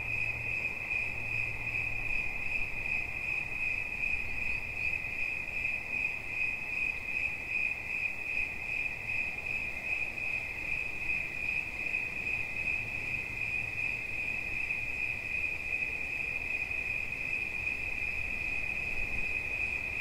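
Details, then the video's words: Steady, ringing cricket chirp held without pause for twenty seconds, a thin high tone of rapid pulses over faint low background hum. "Świerszcz. Dźwięki relaksacyjne"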